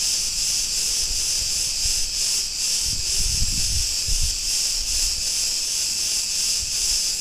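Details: Cretan cicadas droning in a street of Ierapetra, Greece: a piercing, continuous buzzing chorus with regular throbbing, and a short low rumble midway.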